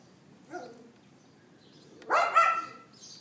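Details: A neighbour's dog on April 18, 2012 at 11:31 AM, captured on an iPhone 4S: a faint, distant-sounding yelp, a silence of over a second, then a loud, drawn-out double bark.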